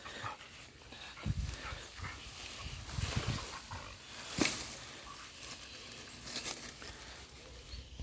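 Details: A young West Siberian Laika barking while playing: a few short, rough bursts scattered over quiet outdoor background noise, with one sharper bark near the middle.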